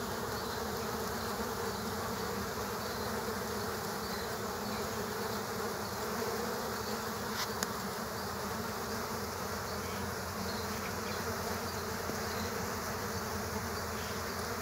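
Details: Killer hornets fighting bees at an underground nest produce a long, steady swarm buzz, low and droning, broken only by a sharp click midway.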